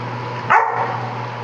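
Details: Labrador Retriever giving a single short, sharp bark that stops quickly, over a steady low hum.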